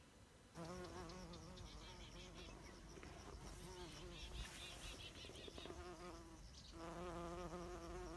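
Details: Bumblebee, a bee also used in greenhouses, buzzing with a low, wavering droning hum that rises and falls in pitch. It fades briefly in the middle under broadband rustling noise, then returns strongly.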